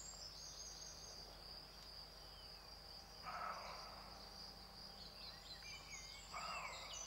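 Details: A rutting male roe deer, recorded in 2012, gives two short, hoarse barks about three seconds apart over steady insect trilling.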